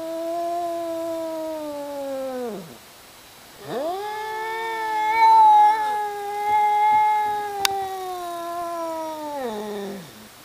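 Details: Two domestic cats, one named Tasha, hollering at each other in a fight: long drawn-out wails with a rich stack of harmonics, swelling and bending, dropping at the ends, one break after about three seconds, then a second sustained howl.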